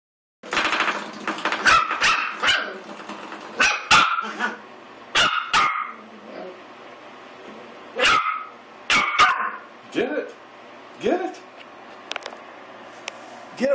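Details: Eight-week-old Pomeranian and Miniature Australian Shepherd mix puppy named Willie attacking a door stop indoors, giving a run of short, sharp, high yapping barks in uneven bursts, with a person's encouraging voice between them.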